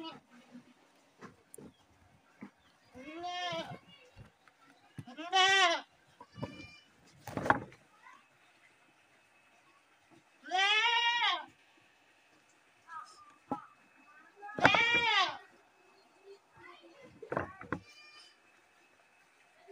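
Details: Goat screaming in four loud, wavering, harmonic-rich bleats spread across the stretch, each about a second long, with quieter clicks and soft background noise between them.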